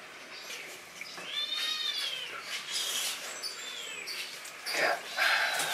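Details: Captive Asian palm civet interacting with its owner: short, high, rising and falling mews amid rustling and clicking, with a man speaking quietly nearby.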